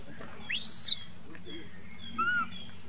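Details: Monkey crying for its mother, one intense shrill scream lasting about half a second that starts with an upward sweep, followed by a softer, brief whistled tone and faint background tones.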